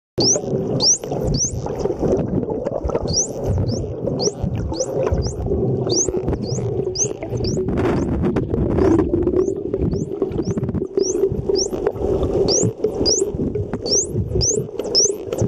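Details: Wild dolphins swimming off Mikurajima, Japan give high, swooping whistles underwater, sharply rising and repeated quickly, heard as bubbles are released from the blowhole.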